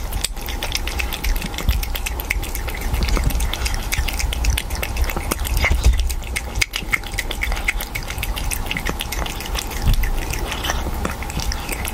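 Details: Black cat licking tomato sauce, close wet smacking and lapping clicks with a constant background hum and no vocal calls.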